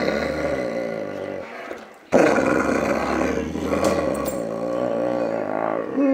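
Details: Enzo, a male Boxer dog, growling indoors: long, rumbling, strongly harmonic growls with wavering pitch, a short pause near two seconds, then a louder sustained growl that rises and falls to the end.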